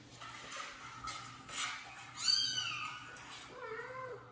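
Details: Kitten meows played from a phone indoors while a mother cat, who was washing her kitten, reacts. Soft rustling comes first, then two thin, wavering meows, the first higher and falling, the second lower, near the end.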